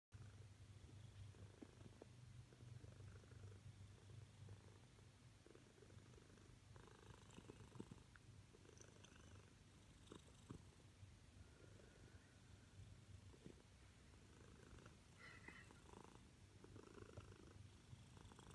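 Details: A pet Siamese cat, female, wanting attention, purrs loudly and steadily indoors, a continuous low rumbling throb with faint scattered rustles and small sounds above it.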